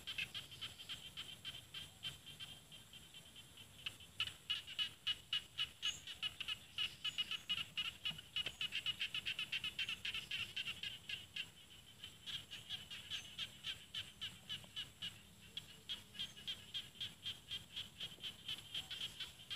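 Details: Chorus of rice-field frogs in northeastern Thai paddies of Isan; fast overlapping high clicks, many per second, rising in the middle and continuing unevenly to the end, with a thin high whine behind.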